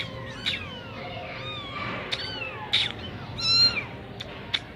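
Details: Persian kitten of the Sami Punch type from Gujranwala giving a string of short, rising-and-falling meows, some thin and high, others bending downward, against a steady background hiss.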